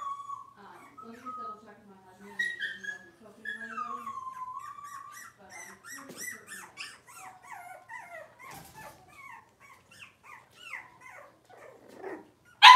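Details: Cavalier King Charles Spaniel puppies, six weeks old, fussing in their pen during deworming and nail trimming. Wavering high whines slide downward, then a run of short squeaky whimpers, ending in a sudden loud burst.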